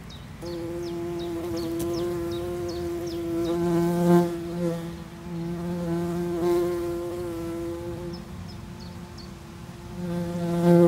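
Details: Loud, steady drone from a tree bumblebee nest, the humming tone holding constant with strong overtones while deeper buzzes pulse in and out in several bursts, and thin faint chirps are heard near the start.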